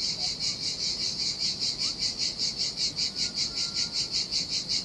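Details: Sardinian cicadas in summer heat by the sea, their shrill buzzing throbbing in even, rapid pulses, roughly two and a half per second, over a quiet low hiss from the deserted shore.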